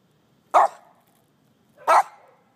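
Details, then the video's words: Two single sharp barks from Scruffy, a dog bothered by ants in a lawn, spaced well over a second apart in an otherwise quiet setting. "Scruffy Vs Ants"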